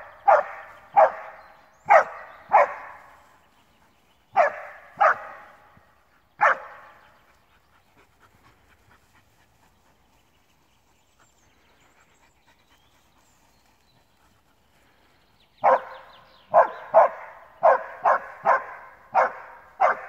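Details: During his first wild boar meeting, a male Alpine Dachsbracke barks steadily for about thirty minutes. A volley of echoing barks, then nearly eight seconds of near silence before another rapid run of barks, around ninety a minute.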